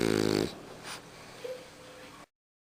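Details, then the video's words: Sleeping French Bulldog: one short, buzzy rattling snore that ends abruptly, then soft breathing and a brief faint squeak before silence. "Bouledogue français qui ronfle!"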